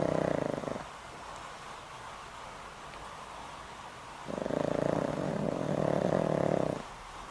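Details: Boram, a pet dog over twenty years old with a weak heart and on daily medicine, snoring loudly in sleep: a brief tail of one snore, a quiet pause, then a long rattling, buzzy snore of about two and a half seconds.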